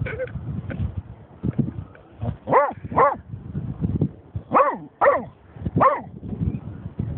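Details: German Shorthaired Pointer named Snoop, reacting after finding a dead seagull: a run of excited, wavering bark-howls rising and falling in pitch, mixed with low grumbling whines.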